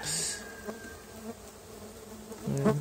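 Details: Stingless bees (Tetragonula biroi), a feral colony moved into a box, at first inspection a month later; soft continuous hum, with a louder close buzz sweeping past near the end and a brief hiss at the start.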